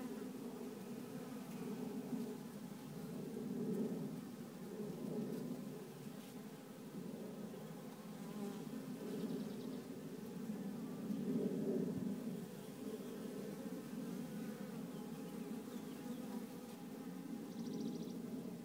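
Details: A small hive of honey bees, confirmed to be a queenless swarm, gives a steady, dense hum that swells and fades in loudness.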